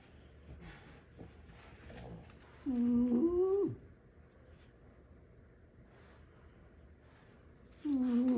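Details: French Bulldog among six sibling dogs napping indoors after plenty of play: two tonal, whistling snores about five seconds apart, each lasting around a second with a slight rising pitch and bent ending, and quiet room noise between.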